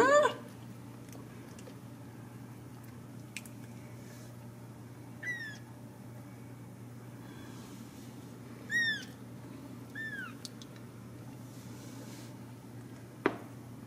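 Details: Ragdoll kittens at a home cattery in central Kansas give a few faint, short, arched mews spread over the recording, with soft clicks and a steady low hum in a quiet room.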